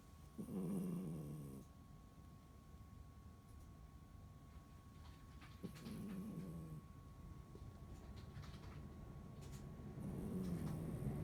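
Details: Toy Poodle snoring in its sleep, from a pet couple: brown male Dingding from China and silver female Candy from Korea, whose snoring is loud; three long, low, rattling snores arrive about every five seconds with quiet breathing between.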